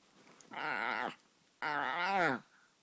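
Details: A white Chihuahua puppy gives two drawn-out, wavering whines, each under a second long, with a brief pause between.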